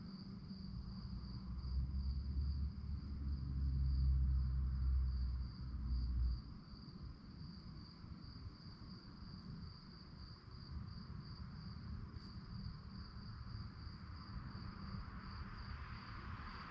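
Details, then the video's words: Crickets trill at night in rapid, regular high pulses. A loud low rumble, like a passing vehicle or wind, swells in the first few seconds and then fades back to a steady hum. "relaxing sounds of crickets"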